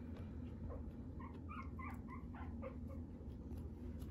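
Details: Shih Tzu (Canis familiaris), whimper.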